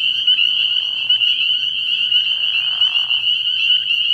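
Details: Dense spring peeper chorus from a frog pond at night in early spring, high ringing peeps overlapping continuously, interrupted by two short lower trilling bursts from other frogs.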